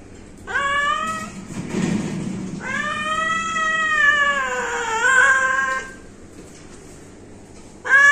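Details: Pet cat meowing: a short rising meow, then a long drawn-out meow lasting about three seconds with a wavering, slightly falling pitch, and the start of another meow at the end; a dull thump between calls.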